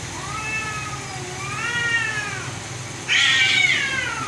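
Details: Cats fighting: drawn-out wavering yowls rising and falling, two arching cries in the first half, then a sudden harsh hissing burst at about three seconds over continued moaning; low hum in the background.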